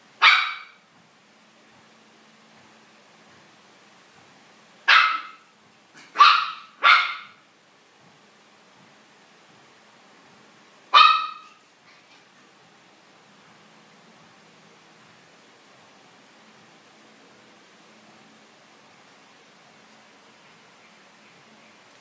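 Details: Kai, a Chihuahua, gives five sharp, high-pitched yapping barks: one at the start, a quick group of three around five to seven seconds, and a last one near eleven seconds, with quiet between them.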